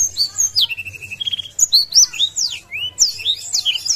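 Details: Singing blackthroat spreading its wings to provoke an opponent: high whistled sweeps, then a quick run of evenly repeated short notes, followed by more rapid slurred twitters.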